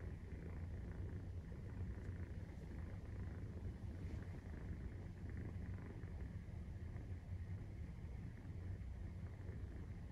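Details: Maine Coon cat purring during nursing, 43 days after birth: a steady, deep, continuous rumble with fine rapid pulsing throughout, no breaks, and a faint constant hiss above it.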